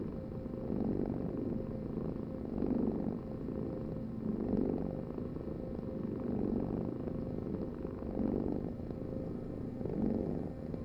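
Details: Soft rhythmic purring from a cat, low buzzing vibration pulsing with the breath about every 1.8 seconds, six even swells across the stretch, nothing else heard.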